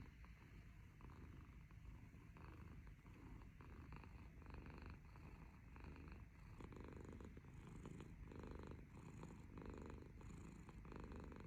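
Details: Black kitten snoring while kneading indoors: a soft, low, continuous rumbling breath with steady rhythmic pulses, growing slightly stronger and more pulsed in the second half, no other sounds.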